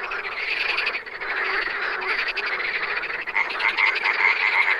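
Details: Wild frogs in full chorus, a thick rattle of overlapping croaks that briefly dips, then swells again with a sharp, regularly repeated high note in the last second.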